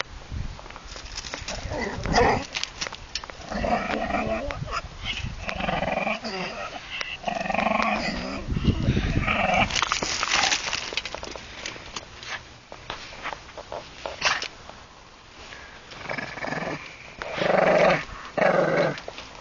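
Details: Shih Tzu growling while playing with a Golden Retriever; rough, rumbling growls come in bursts throughout, broken by short gaps and sharp scuffling noises from the play.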